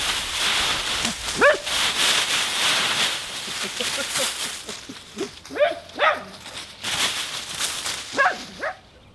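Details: Husky Nora playing in a leaf pile: loud crunching leaf rustle fills the recording, broken by a sharp yelping bark early on, then a quick pair of barks and a final bark near the close.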